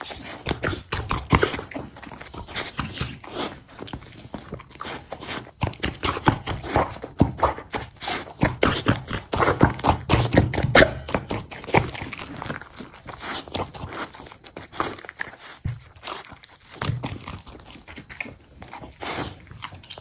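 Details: Golden Retriever eating a bun: a steady run of crunchy, clicking bites and wet smacks, coming in uneven bursts over twenty seconds, loudest in the middle stretch, with no other clear sounds.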